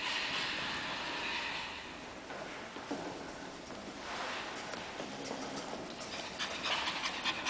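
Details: Two Pekingese puppies at play, giving quick breathy panting and snuffling puffs in irregular bursts, with hissy scuffling noise throughout.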